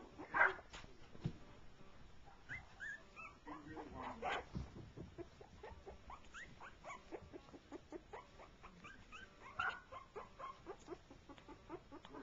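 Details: Shorty Jack Russell Terrier pups, three weeks old, meeting and playing for the first time with a four-month-old pup joining in; short high squeaky whimpers and yips come in scattered bursts, with soft shuffling between them.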